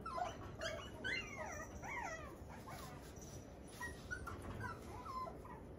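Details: Luna, a 57-day-old red female Toy Poodle puppy born January 9, indoors in Machiya, Tokyo; soft, thin whimpers with bending pitch come in irregular bursts over steady background hiss.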